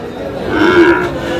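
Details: Sahiwal bull calf at the Aftabganj cattle market in Dinajpur, Bangladesh, on market day, 8 August: a short moo with a tonal low band that rises and falls, over the murmur of the crowd.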